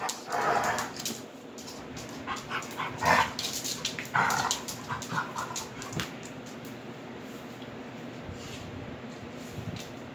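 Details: Mouth-wrestling play between two Rhodesian Ridgebacks, nine-year-old Kwela and nine-week-old Honey: a cluster of short yips and barks in the first four seconds, then scuffling and clicking noises with low household background.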